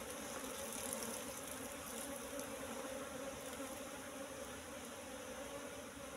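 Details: Continuous droning hum of many Apis cerana bees around a wild nest discovered among bushes, its combs full of honey; the even, layered buzz stays constant for the whole stretch.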